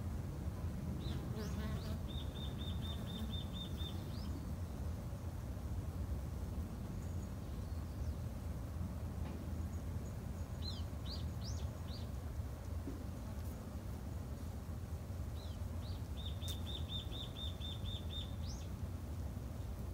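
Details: A softer, even low buzz comes from Japanese honey bees in a garden apiary. A small bird twice gives a rapid high rattling trill, with scattered chirps between.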